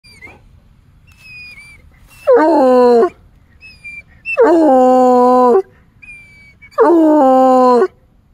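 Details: A coonhound gives three long, mournful howls that start high and slide lower, with faint bird chirps between.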